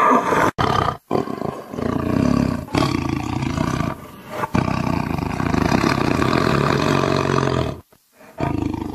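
A tiger roars in deep, rasping bursts with brief breaks between them.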